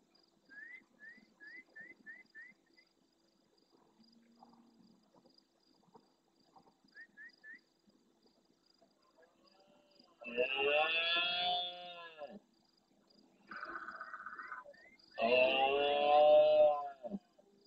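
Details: Big male red deer bellowing at the start of night in the Doñana marshes, El Rocío, Andalusia, Spain, close to the camera and replying to far-off roars. Quiet chirps come first, then two loud, gravelly roars of about two seconds each, separated by a shorter call.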